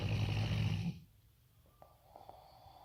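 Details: A Rottweiler sleeping peacefully gives one deep, rumbling snore lasting about a second, loud enough to make the floor vibrate, then the room falls quiet.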